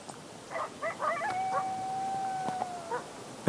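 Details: Coyotes heard while biking or hiking give a few sharp yips, then a long, steady, level howl that fades out.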